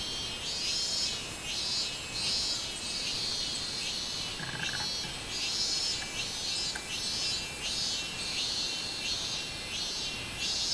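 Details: Minmin cicada singing on 24 July 2016, a shrill high buzzing pulsed in steady bursts about twice a second, swelling and fading across the clip, with a brief faint lower tone near the middle.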